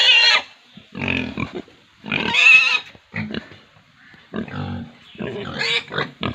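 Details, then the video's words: Pigs on an Indian farm squealing: harsh, shrill, noisy squeals in bursts of about half a second to a second, with short grunting sounds between them and brief gaps of quiet. "sound of pigs squealing"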